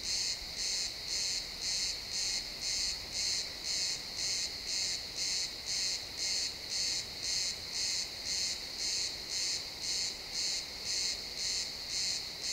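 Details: At sunset in a pine forest, a cricket chirps in an even rhythm, roughly two high, buzzy pulses every second, with short gaps between them, recorded in XY stereo.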